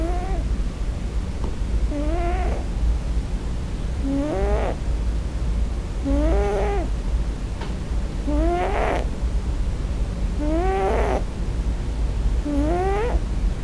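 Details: Scottish Fold kitten on its first night in a new home, crying for its mother in its sleep: six short, rising-then-falling harmonic cries spaced about two seconds apart over a steady low hum.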